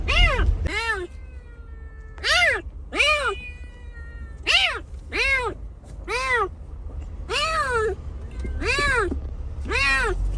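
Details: Kitten rescued after being abandoned in the snow for two days at -11°C meows clearly and insistently, bright arched cries in pairs and singles with short pauses, over a faint low background rumble.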